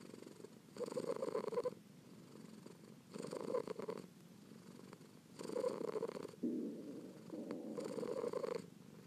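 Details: Close indoor recording of a kitten purring: rough, low rumbles rising in loud bursts roughly every two seconds, then easing to a soft, continuous hum.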